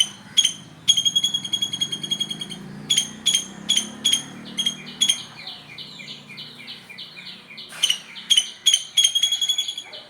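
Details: In the morning, a squirrel gives sharp, high chips in quick bursts, mixed with rapid falling trills.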